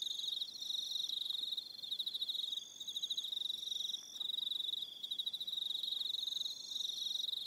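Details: On Aroha Island in New Zealand, evening crickets keep up a dense, rapidly pulsing high trill, pausing briefly now and then, while a second, higher buzzing chorus rises and fades in bursts.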